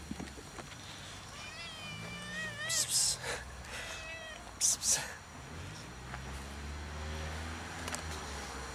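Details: Abandoned fluffy she-cat sitting on a shack roof meows loudly for attention, not food: a long wavering, harmonic meow early on, then scattered noisy bursts and low murmuring sounds in the background.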